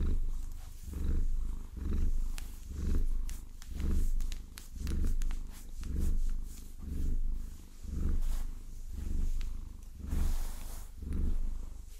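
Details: Maine Coon cat named Vasilisa purring while being massaged with long nails, a low rumbling purr swelling and fading in regular cycles about once a second, with light tapping and scratching of nails over the top.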